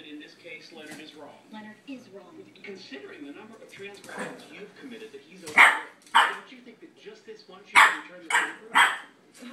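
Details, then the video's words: A Boston Terrier puppy barking at a cat gives four sharp, high barks while a person talks in the background. "Puppy barking at cat"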